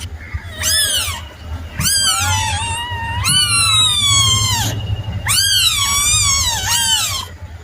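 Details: Young cat giving a series of long, plaintive mews, some drawn out and wavering, four calls in close succession with a low background hum.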